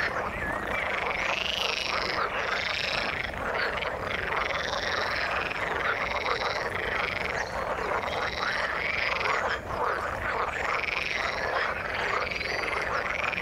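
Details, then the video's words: In the water, a crowd of frogs keeps up an unbroken croaking chorus, layering rattling pulses with high, wavering arched notes that roll on in repeated swells. "Frog sound in the water"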